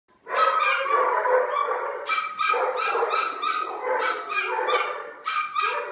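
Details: Four pet dogs barking together in the morning as a household wake-up: dense overlapping barks and yips, continuous for about five seconds with brief dips, voices layered at different pitches.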